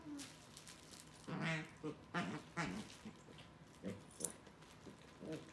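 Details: A 3-month-old Corgi puppy plays with an older Corgi over a squid toy, giving short, throaty grunts and growls, with a brief high squeak from the toy.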